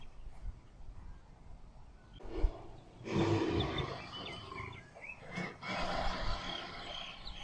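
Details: Lion and lioness mating; two harsh, broadband growling roars, the first long and loud, the second shorter a couple of seconds later, with low rumbling between and faint bird chirps behind.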